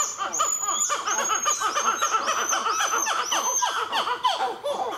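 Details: At Nazare Paulista in Brazil, black-fronted titi monkeys give a fast, loud sequence of looping, rising-and-falling notes in a continuous pulsing stream, overlaid by sharp high bird whistles repeated across the recording.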